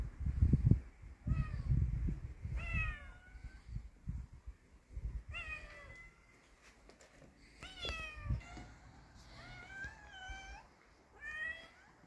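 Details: A brave kitten confronting a cat among street cats: a series of clear, drawn-out meows, several falling then rising in pitch, some overlapping, spaced by brief pauses, with thumping low background noise.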